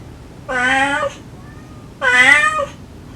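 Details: A kind-voiced stray mother cat calls to her kittens, and they answer with sweet mews. Two long, loud, evenly held meows about one and a half seconds apart, rich in harmonics, with a faint tone between them.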